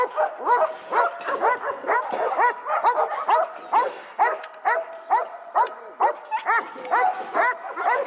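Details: Steady, insistent barking from Echo, a seven-month-old male dog started on bitework: short, bright barks repeated evenly about twice per second, occasionally paired.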